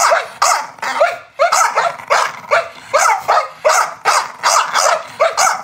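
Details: Chow Chow dog barking in a rapid, uneven run of about a dozen sharp, harmonic barks over five seconds, some doubled, each bark bright and clipped, with no other sounds.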